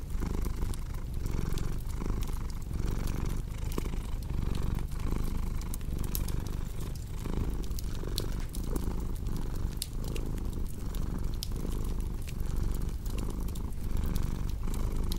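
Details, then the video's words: Continuous low, throaty purr from a cat, pulsing in regular breath cycles of roughly three quarters of a second, layered with crackling fireplace pops and occasional brighter snaps from burning wood. "Purring Cat with Cozy Crackling Fireplace Sound"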